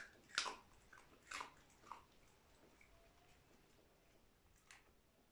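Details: Indoors, a dog eats dry food: three sharp crunching bites a second apart, then a quiet pause and one more faint crunch near the end.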